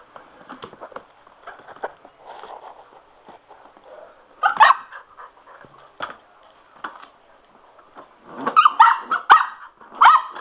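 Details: Excited by a spinning mop, Sugar the Cocker Spaniel lets out scattered sharp barks, quiet for a few seconds and then a quick cluster of loud yapping near the end, over mop noise.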